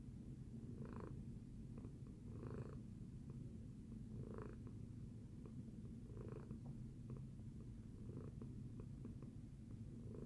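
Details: Domestic cat purring after breakfast: a steady low rumbling drone throughout, with soft breathy swells about every two seconds as the cat breathes in and out, in a quiet indoor setting.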